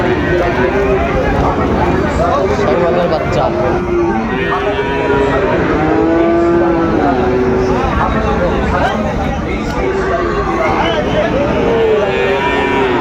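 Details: Sahiwal bull calves at the Raniganj cattle market in Dinajpur on 20 June 2024. Low, drawn-out moos rise and fall a few times over steady crowd chatter, bargaining voices and some vehicle noise.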